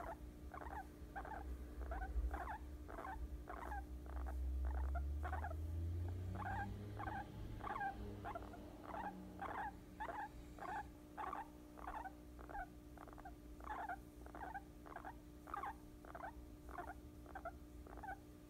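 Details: Guinea pig that has fallen asleep on a lap utters a steady series of short, soft squeaky pulses, close to two per second, regular and even over the whole stretch, with low thumping handling sounds early on.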